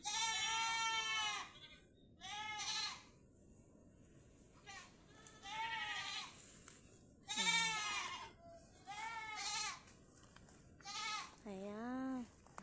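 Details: Farm goats tied out to graze on grass under threatening rain; loud, tremulous bleats repeat every second or two, some long and quavering, a few deeper rising calls near the end, with soft music underneath.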